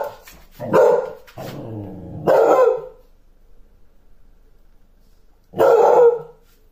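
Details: Basset hound giving three loud, deep, hoarse barks, each about half a second long, the last after a quiet gap of nearly three seconds; a few soft murmured sounds come before the barking.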